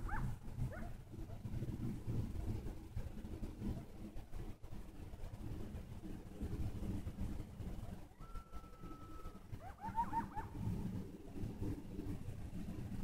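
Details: Coyotes calling at a distance: a few high, sliding yips at the start, then one long, steady howl held for over a second, followed by a quick burst of wavering yips, all set over a constant low rumble.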